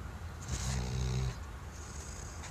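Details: Sleeping Weimaraner dog snoring: a single low, rumbling snore with stacked harmonic bands lasting under a second, followed by quiet breathing in a room.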